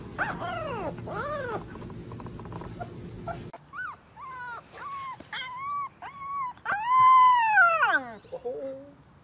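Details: Puppies learning to howl: two arched, wavering howls with rich overtones, then a run of short tonal yelps, ending in one long, loud, falling howl and a brief whine.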